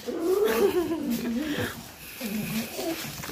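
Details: Pet dogs indoors, one of the trio Pierre, Cherry and Meringue playing late at night, give a wavering, moaning whine-grumble that rises and falls for nearly two seconds, then a shorter burst, while a woman talks and coos over them.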